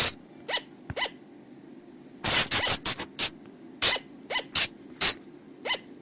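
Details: Forest recording of flying lemur calls, played at night to lure them: faint, soft notes at first, then a tight cluster of loud, piercing shrieks, followed by evenly spaced harsh bursts about every half second, over a low steady hum.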